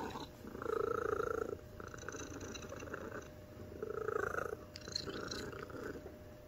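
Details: Purring from Omame, a fat white mixed-breed domestic cat of American Shorthair and Golden Chinchilla parentage, spayed, kept indoors; two loud rumbling surges about three seconds apart, with a softer continuous purr between them.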